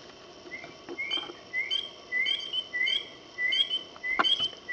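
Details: A spring peeper calling at night during a frogging-by-ear outing in Alabama gives high, clear, upslurred peeps, repeated roughly every half second.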